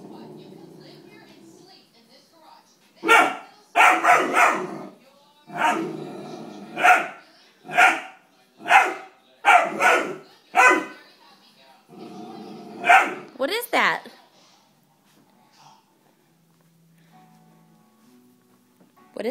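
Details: Young Dobermann being potty trained, indoors, reacting with displeasure to foaming carpet cleaner: a run of loud, rough barks about once a second for several seconds, then a few higher yips, with a person talking and a faint tone.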